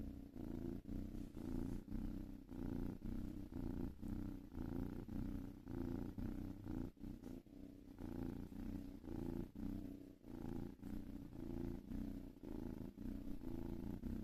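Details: Long continuous purr from a cat, low and rumbling, rising and falling with each breath cycle roughly every half second, in a quiet indoor setting.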